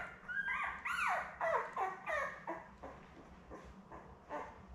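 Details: Labrador Retriever puppies about eleven days old, a litter of seven with their mother Belle. A quick run of arched, whistly whimpers comes first, then fades into softer, shorter cries that trail off toward the end.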